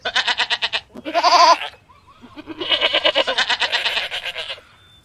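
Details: Goats bleating: three tremulous, quavering bleats, a short one, a brief higher wavering one, then a long drawn-out pulsing bleat that fades near the end, with short quiet gaps between them.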